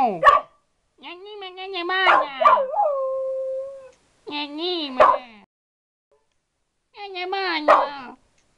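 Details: Dog "talking" with its owner in a back-and-forth exchange. It makes tonal, wavering howl-like moans. One long note holds steady, and the phrases are split by pauses of one to two seconds.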